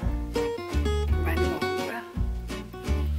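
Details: Plucked guitar chords over a heavy bass line, with a brief voice in the middle, and no animal sound heard.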